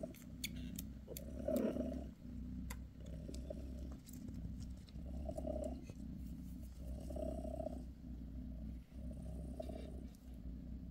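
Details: British shorthair mother Bassy purrs over her kittens during a massage; deep continuous rumble pulsing in slow regular waves roughly every two seconds, with faint ticking and rustling noises.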